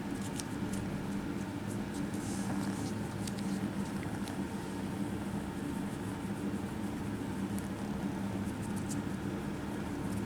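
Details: Kittens craving attention at a cat cafe purr steadily while stroked, giving a smooth low rumble with a gentle pulsing texture, accompanied by occasional soft rustling and clicking from fur and hands.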